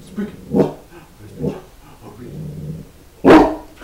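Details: A one-year-old male English Mastiff on his first birthday, asked to speak before getting a leg of beef; short deep woofs around 0.6 and 1.5 seconds, then a loud bark near 3.3 seconds, with a man's voice.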